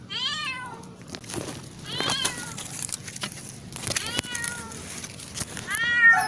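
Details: Cat rescued from a canal, meowing as it wants something such as food or attention; several short harmonic meows, falling in pitch, spaced about two seconds apart, with voices talking and scattered clicks throughout.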